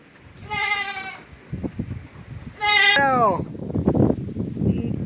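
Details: Newborn goat kid bleating indoors: two clear, wavering bleats about two seconds apart, the second sliding downward at its end. Tapping and soft human voices follow.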